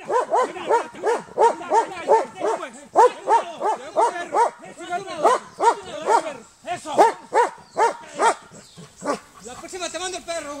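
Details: Trained male Belgian Malinois and Shepherd mix, an alert protection and watch dog, barking on command; a rapid run of sharp, loud barks, about three per second, with a brief pause midway through.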